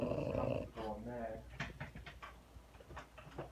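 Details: A female French Bulldog snores while being held, a rough, buzzy, rattling rumble on each breath fading into snuffly clicks, as people talk softly close by.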